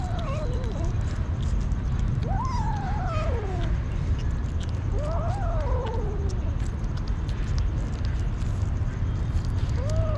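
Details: Hungry street kitten meowing for food: drawn-out, arching meows that rise and then fall, heard about four times across ten seconds over a constant low rumbling background noise.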